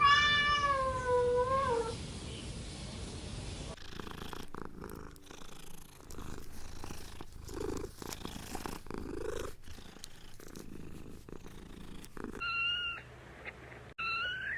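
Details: Cat (Felis catus) kittens playing on green grass; a long, wavering meow, followed later by short, high-pitched kitten mews.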